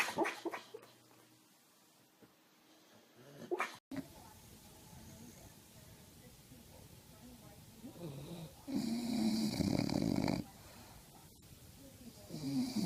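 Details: An ugly-cute dog, fast asleep, snores while food is set in front of it. A quiet, low breathing rasp gives way to one long, loud, rough snore, with scattered clicks and soft room noise.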